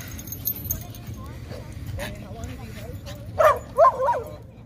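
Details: Jah the Chihuahua on a night walk in a park, giving a short burst of three sharp, yappy barks near the end after a stretch of low rumbling background hum and faint talk.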